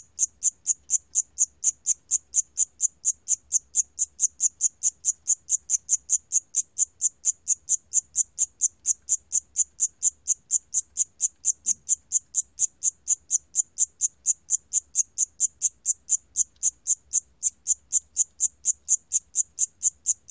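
A Siamese cricket gives short, high chirps, about two or three each second in a steady run.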